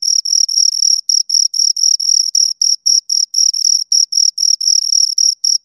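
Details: Pair of crickets stridulating near the recorder, giving brisk, piercing chirps repeated about every quarter second, some bursts slightly longer than others, nothing else audible.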